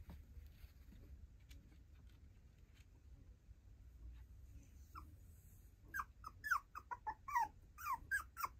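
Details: Young female tiny poodle, mostly quiet at first with faint room noise, then breaking into a quick burst of high, bending whimpers and squeaks during the last few seconds.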